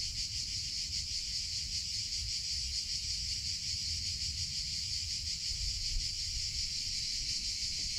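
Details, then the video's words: Steady shrill drone of summer cicadas, rapidly pulsating without a break, bright and high, over a quiet low hum. "CICADA SOUNDS - Sound Effect of Cicadas in Summer Sounds of Cicada (Chicharra, Campanero)"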